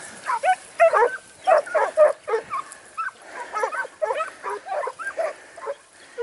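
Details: Segugio Italiano, Sofiko in Evros, 12 September 2018, training outing: bursts of high, yodelling bays arrive roughly twice a second, strongest early, then softer and more clipped toward the end.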